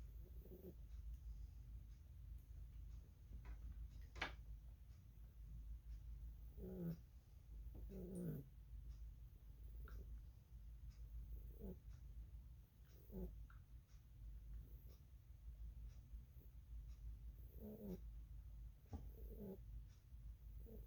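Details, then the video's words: Sleeping rabbit Lily snores in irregular bursts of soft, low, grating snorts, sometimes paired in quick doubles, separated by pauses of several seconds, with a constant low room hum beneath. "Rabbit snoring"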